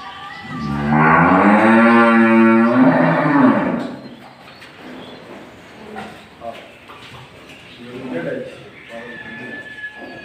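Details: Friesian milk cow ill with viral fever during treatment in Bangladesh: a long, loud moo of nearly three seconds with a wavering, slightly falling pitch, then low background murmurs and handling noises.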